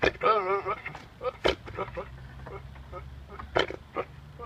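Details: A goat named Buckwheat, having caught wind of someone, gives a short, wavering bleat with a strong tremble, followed by scattered rough, voice-like sounds.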